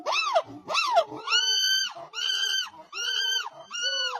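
A monkey gives a run of harmonic, nasal wailing calls, each rising and falling in pitch.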